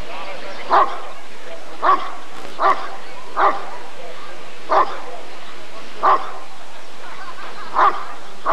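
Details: Rottweiler at the 1994 ADRK Körung, tested for character as the male Janko von der Steineiche, gives a run of eight emphatic barks at a fairly even pace of about one per second, over steady background noise.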